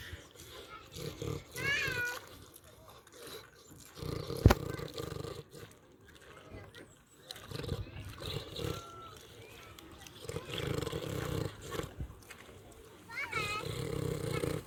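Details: Pig on a farm, eating and snoring: deep pulsing grunt-snores come in bursts of one to three seconds with quiet gaps. High curving whistled chirps rise and fall near two and thirteen seconds, and a sharp click sounds midway.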